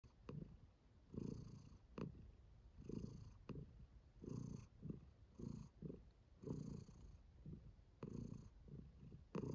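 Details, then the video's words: Domestic cat purring while content and enjoying herself, a low rumbling purr that swells in pulses about every second, each breath cycle rising and fading steadily. "Calming Cat Purring"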